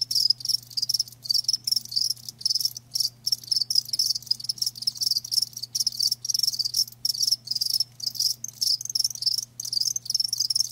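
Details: Many rapid high chirps from live crickets, dense trilled bursts separated by brief silent gaps throughout, with a constant low electrical hum in the background.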